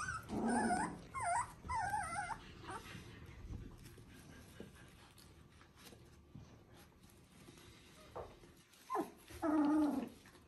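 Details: Three-week-old Border Collie puppies in a litter making a few high whimpering squeals at the start and end, with a quieter stretch of low rustling and faint murmurs between.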